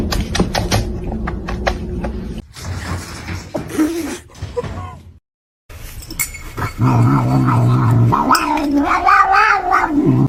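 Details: Domestic cat yowling and caterwauling in a run of short edited snippets, drawn-out wavering moans with abrupt cuts and a brief silence, over a low hum and scattered background noise.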